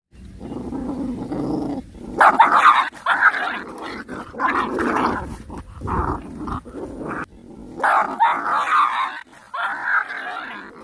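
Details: Puppies fighting and angry while eating, giving rough overlapping growls and snarls in bursts, with short yelps breaking through between louder clustered outbursts.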